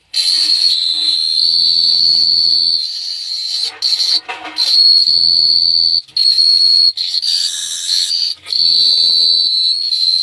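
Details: Night-time cricket at Phteah Prey giving a continuous high-pitched trill for about ten seconds, interrupted now and then by brief rustling or handling noises and faint low murmurs.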